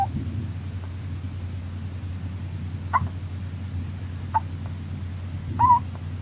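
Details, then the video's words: Sleeping pet Russian dwarf hamster Rolo, a female, snores with a few tiny high squeaks scattered across the recording, ending in a slightly longer nasal peep, all set against a constant low background hum. "Rolo the hamster snoring"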